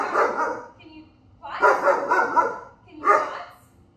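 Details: German Shepherd named Maeve barking in three bursts, each a dense cluster of harsh, rough barks lasting about half a second to a second, separated by short pauses.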